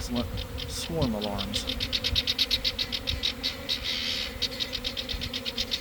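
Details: Honey bee swarm pouring from a garden hive around one in the afternoon, after a week of cold, damp weather: a steady low droning hum, a fast run of high ticking pulses above it, and brief human speech near the start.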